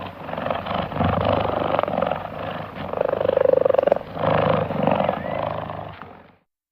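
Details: A relaxed cheetah purrs loudly and deeply, a steady rumbling pulse that rises and falls in long bursts.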